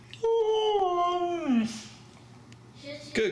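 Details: Female Husky indoors 'talking' to say hello on Valentine's Day: a drawn-out tonal howl-like vocalization that holds steady, then glides downward over about a second and a half, followed by a brief rising-falling yelp; faint low hum beneath.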